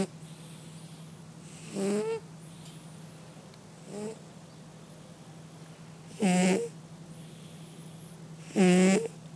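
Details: Cat asleep and snoring, four rasping breaths in nine seconds alternating softer and louder, each ending in a brief rising whistle-like tone, with a constant low hum underneath.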